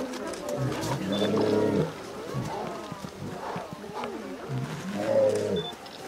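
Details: A 20-year-old male polar bear shares a pool with a 19-year-old female, housed together for breeding at Maruyama Zoo in Sapporo, Hokkaido, Japan, on 26 March 2014. He gives deep, harmonic, drawn-out roars in two long bouts, with shorter grunts between.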